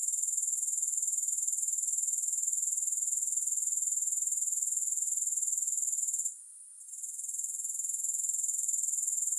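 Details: Grasshoppers in a soothing recording with no music: a dense, high, steady buzzing trill pulsing rapidly and evenly, broken by one brief dip in loudness past the six-second mark before resuming.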